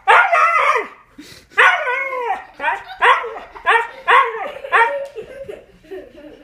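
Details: Pet Siberian Husky telling off a cat for swiping at him: a series of drawn-out, arching talky howl-barks, about six in quick succession, each sliding up then down, trailing into softer grumbles at the end.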